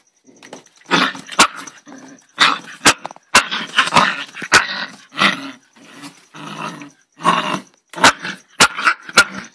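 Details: Snarling angry dog: gravelly growls broken by sudden sharp barks, roughly one outburst every second, loud and close, with a faint steady high whine in the background.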